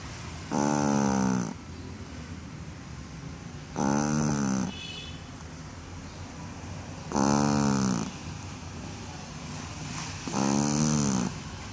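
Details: Shih Tzu dog snoring after a bath: four long, rasping, harmonic snores, each lasting about a second, recurring roughly every three seconds with quiet breathing between them.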